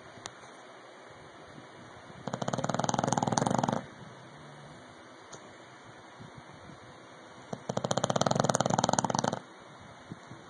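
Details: English bulldog named Rocky snoring loudly, two long rattling snores of rapid buzzing pulses, each near one and a half to two seconds, spaced about four seconds apart over a faint steady hum.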